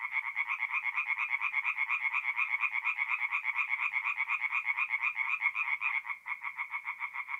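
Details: Tree frogs sing through the night at a forest pond in north-east Italy in mid-April; quick, regular nasal croaks, several per second, in a loud steady chorus without other sounds.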